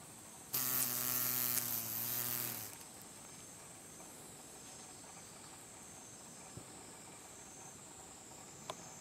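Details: Green drone beetle (Rhomborhina unicolor) with a deformed left hindwing, Japan, late August 2012, straining to lift off: a two-second low droning wingbeat burst, then quiet with a thin high steady whine behind it.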